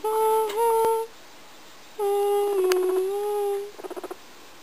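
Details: Pet guinea pig singing a little song: long steady whistled notes, the first level, the second sliding slowly downward, then a quick burst of soft repeated clicks at the end.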